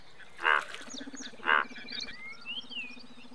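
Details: Indian bullfrog croaking twice about a second apart, each note a short, coarse, grating burst. Thin rising and falling whistles and a soft droning chorus continue behind it.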